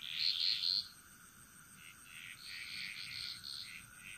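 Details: Frogs singing in a chorus in the jungle of Bali, Indonesia: a bright high trilled burst of pulsed notes near the start, then softer overlapping croaking calls, with a steady high insect whine throughout.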